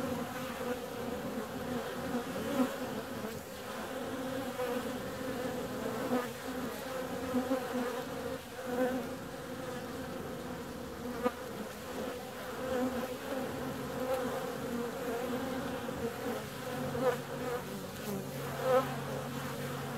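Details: Bees flying out on a warm February day, their continuous humming drone rising and dipping as insects pass close. A faint low hum comes in during the later part.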